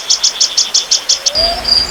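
A cricket chirps in quick, high, evenly spaced pulses, about six per second.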